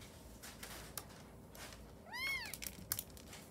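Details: Young orphaned kitten giving one short, high, thin meow while straining to urinate for the first time, amid clicks and soft background noise.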